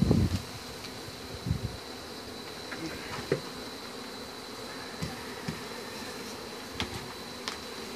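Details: Western honey bees buzz steadily as a hive is removed, a thick continuous hum with a faint high whine. A heavy thump opens the recording and light ticks follow.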